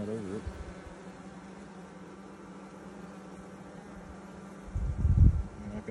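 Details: Buzzing honey bees on frames during a 2020 hive inspection six days after installing nucs; a steady, low, unbroken hum holds throughout, with a brief word at the start and a louder handling thump near the end.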